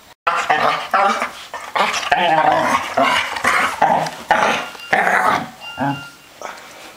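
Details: Three playful dogs in a small room, trading rapid overlapping growls, grumbles and short yelping barks in bursts, loud and busy throughout.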